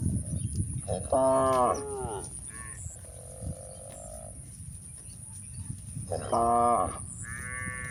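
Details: Several short, nasal moos from cows walking on a hill in the countryside, including a steady flat call near the middle and two matching bursts later, with a quiet background of shuffling steps.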